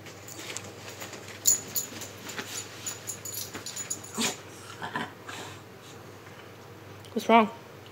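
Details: Miniature Schnauzer Khybee, a male pet dog, throwing his morning fit indoors as his owner makes the bed and folds his yellow blanket; soft rustling and tapping, then one short, sharp, high whine near the end.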